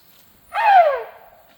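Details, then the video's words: Sido Ham, a tuskless male Asian elephant, begging for food with one loud, bright squeal that swells and then slides downward for about half a second in quiet surroundings. "สีดอฮาม ร้องขอกินครับเสียงดังอันกึกก้อง"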